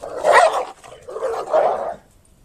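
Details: Two Golden Retrievers playfighting, giving two rough, snarling growl-barks about a second apart, each a short throaty burst, followed by quiet.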